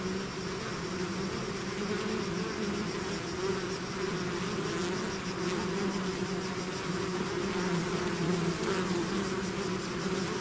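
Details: Swarming bees out of their hive produce an even, droning buzz for ten seconds. The steady low hum and higher whine hold constant with faint flickers of nearby wingbeats and no other sounds.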